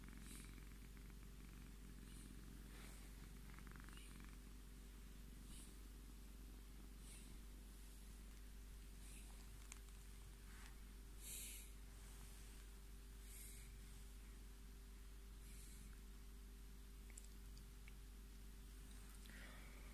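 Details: Scottish Fold cat named Tommy asking to be stroked, giving a long unbroken low throbbing purr, with occasional soft rubbing and rustling noises and quiet clicks.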